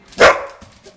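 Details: A two-year-old Bullboxer Pit, an American Pit Bull Terrier and Boxer mix, gives a single short, sharp bark that fades quickly into near silence.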